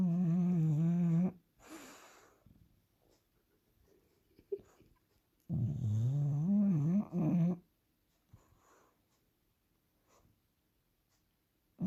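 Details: Bulldog snoring indoors: loud, drawn-out, tonal buzzing snores with a wavering pitch, two long bouts about four seconds apart, with softer breathing in between.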